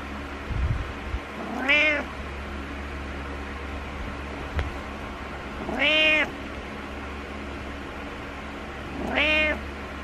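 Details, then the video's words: Needy pet cat in the morning giving three loud, arched meows roughly every four seconds, each swelling and then dropping away, over a constant low indoor hum. "Needy Morning Meows"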